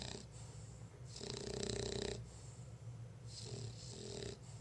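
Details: Lola the bulldog, very sleepy, snoring with a long rasping inhale in the middle and shorter wheezy breaths around it, over a faint low background hum.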